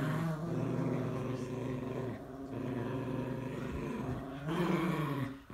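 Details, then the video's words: A Morkie and a Yorkie growl at each other, a continuous deep, vibrating snarl that holds for over five seconds and swells louder toward the end before fading. "Dog) Morkie VS Yorkie"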